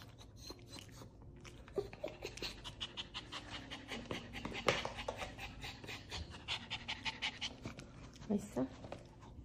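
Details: Ten-year-old Maltese Dubu pants during an ear cleaning on a post-surgery visit for a ruptured right cruciate ligament. Fast, rhythmic huffing runs on for several seconds, with one sharp knock and a short spoken word near the end.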